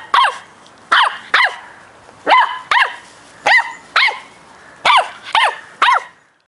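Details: An 8-week-old Cardigan Welsh Corgi puppy on his second day in a new home gives high, sharp yapping barks in quick pairs and threes.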